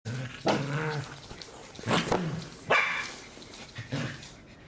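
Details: A Pembroke Welsh Corgi, scared of a cardboard box, gives several sharp, husky, abrupt barks about a second apart with brief pauses; a faint murmur of a person near the end.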